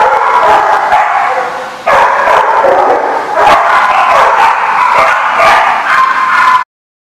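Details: Several dogs barking together at a dog park, a dense, continuous run of overlapping barks with a sudden louder burst near two seconds, ending abruptly.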